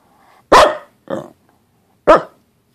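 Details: Pembroke Welsh Corgi, upset and answering its owner's questions, lets out a loud bark, a softer shorter yap, then another loud bark, spaced roughly half a second to a second apart. Human speech comes just before.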